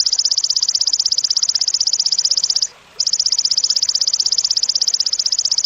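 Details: Cililin song used as training material for competition songbirds: a sharp, loud, high buzzy trill of rapid even pulses, about four per second, broken by one brief pause midway, then resuming unchanged.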